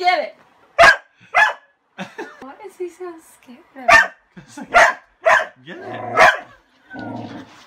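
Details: Dog going wild over a broom that covers his toy, giving repeated harsh barks at uneven intervals mixed with Spanish speech and laughter from the people nearby.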